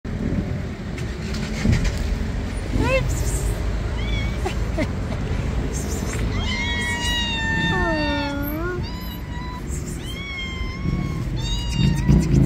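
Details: Hungry black cat meowing: a run of clear, drawn-out meows, some rising then falling, several overlapping at different pitches from about the seventh second, over a steady low rumble of traffic-like background noise.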